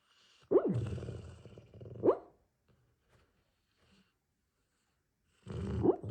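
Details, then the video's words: Dog making a sound likened to a truck that just won't turn over: three low, rumbling, sputtering groans, each opening with a short rising squeak, separated by quiet gaps. "Why does he sound like a truck that just won’t turn over"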